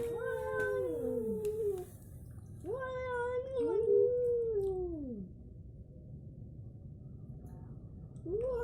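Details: Two cats fighting, an orange cat against a striped tabby: drawn-out wailing yowls rising and sliding down, three long harmonic howls with short pauses between, the last one starting at the end.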